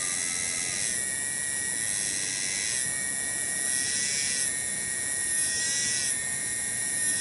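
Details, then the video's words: Tonggeret cicada in a village garden at Kampung Bunder, Cibening, Bungursari. A sustained shrill drone pulses gently in loudness about once a second, with no sharp pitch jumps. "SORA TONGGERET DI KEBON"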